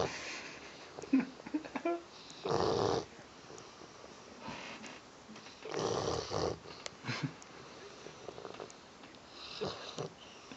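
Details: Penelope the Bullmastiff asleep, with rough rasping snores near three and six seconds and a softer one near ten, plus faint snuffling and clicking noises between breaths; recorded on an Android phone.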